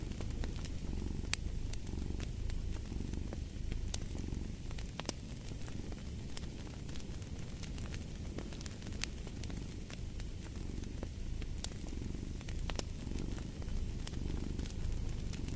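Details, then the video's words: Long stretch of a cat purring, a low vibrating drone that swells gently with each breath, accompanied throughout by crisp crackles of a burning fireplace. "Purring of a Cat"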